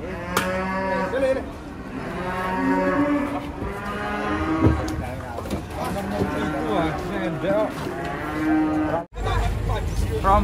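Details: A group of female cattle coming off a truck, giving steady overlapping moos with rich harmonics, some wavering in pitch, amid bumping and clatter, with a short dropout near the end.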